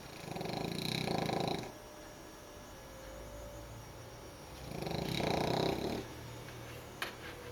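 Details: A young French Bulldog, crashed asleep after hard play, snores in rough, rasping breaths, each lasting over a second, about four seconds apart. French Bulldog.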